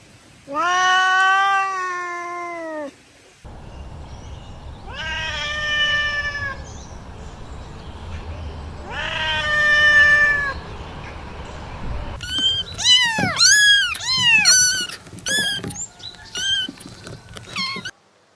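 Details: Cat meowing: three drawn-out, slightly falling cries spaced a few seconds apart, then a quick burst of short, high, arched meows over a low background rumble.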